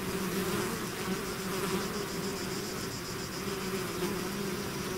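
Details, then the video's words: Swarm of bees out of its hive making a thick continuous buzz, low steady tones under a hissy wash of countless wingbeats, level and unchanging. "bees therapy swarm natural buzzing sound"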